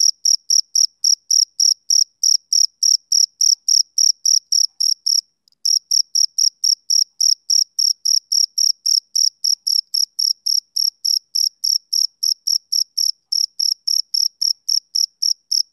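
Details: Male cricket chirping on a summer evening: steady, high, pulsed chirps repeated almost four times a second, with one brief break near the fifth second, and no other sounds.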